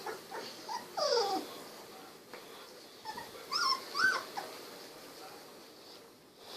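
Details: Golden Retriever puppies at 16 days old, eyes just opened: a few soft, thin whines, one sliding downward, then two short squeaks over low background hiss.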